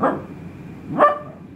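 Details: A trained male Italian Greyhound gives a single short, sharp, fairly high-pitched bark on the command "speak".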